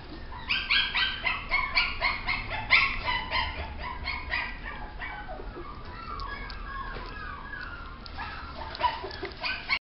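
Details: Maltese producing a dense run of shrill, clipped yips and barks, several a second, loudest early on, then trailing into softer whiny yelps before a couple of sharp final barks.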